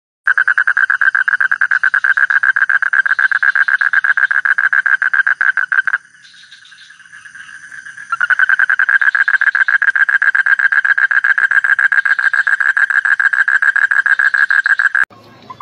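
A frog calls in a long, fast train of rattling pulses, broken by one brief pause.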